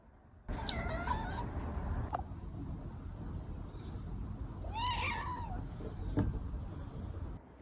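A Scottish Fold cat gives two drawn-out, wavering meows, asking for food.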